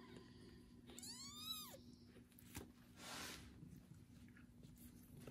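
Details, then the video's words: Kitten being cared for by a foster mother cat after its first bath; a single rising-then-falling harmonic meow near the second mark, followed by rustling and a soft hiss of handling noise. "loud meowing kitten after his first bath"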